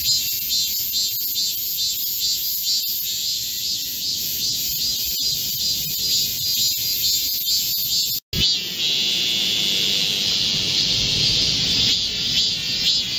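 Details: Massed Korean cicadas in a midsummer forest during a July heatwave. A steady, very high insect drone abruptly cuts out for a moment, then returns as a slightly lower, rippling buzz with quick pulsing beats.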